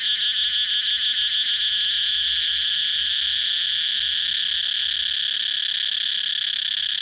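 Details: Cicada song starting with rapid pulsed beats for roughly two seconds before smoothing into a constant, piercing buzz.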